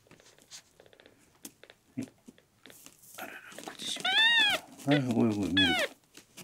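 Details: Newborn male red tabby-and-white kitten Miel, rescued at one day old, dehydrated and unwilling to drink milk, lets out two loud arched meows close together while a human voice murmurs underneath in a small room.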